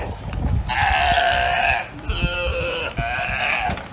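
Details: Galapagos sea lions of all ages and sizes that have taken over a barge at the dock on Santa Cruz Island trade long, hoarse, burp-like nasal bleats about a second long, three in close succession over a faint background rumble.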